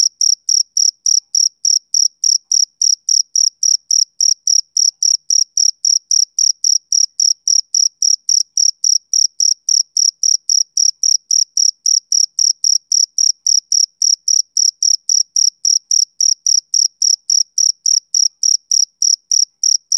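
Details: Male cricket chirping on a summer evening, a steady high-pitched pulsed chirp repeated almost four times a second, each note bright and clipped, with nothing else heard against a silent background.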